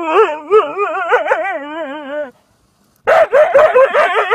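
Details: A Siberian Husky facing a hedgehog that won't go away sings a drawn-out, warbling, howl-like yodel with bouncing pitch for about two seconds, falls silent briefly, then breaks into rough, rapid yapping.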